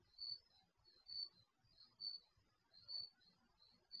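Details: Garage security camera microphone catching crickets after dark: bright, shrill chirp bursts about every 0.9 seconds, alternating with a fainter caller, with low soft noise underneath.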